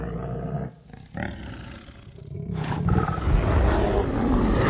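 A bear's deep, rumbling roar swells and builds, used to defend territory and assert dominance.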